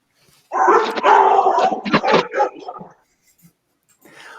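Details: Several shelter dogs in a kennel greeting a staff member as she walks through: a sudden two-and-a-half-second burst of overlapping barks and yips, then quiet with faint noise.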